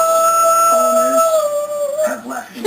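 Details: A 4-year-old male Shih Tzu gives a long, wavering howl in answer to a steady, sustained New Year's celebration horn at a New Year's Eve party, a sound his owner had never heard from him before.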